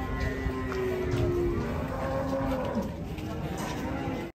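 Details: During a truck unloading of three large cattle, one animal moos in long, low, slightly wavering tones, with faint voices and background noise.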